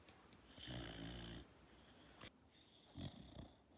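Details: Sleeping retriever puppy snoring: a long, raspy, rumbling snore with a buzzy low drone lasting nearly a second, then a quieter gap and a second shorter, breathy snore near the end, in an otherwise quiet setting.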